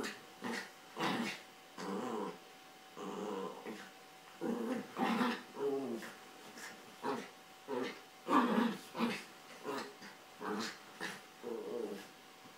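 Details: Carla and Paco, two Yorkshire Terriers, play-fighting over toys on a bed. Rapid, rasping growls come in a steady series of short bursts, roughly every half second to second, with faint voices in the background.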